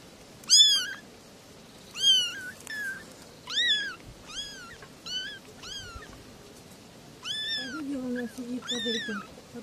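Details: Meowing from three little kittens: insistent high mews at irregular intervals, bright and falling in pitch, with a soft low voice murmuring beneath the last few cries.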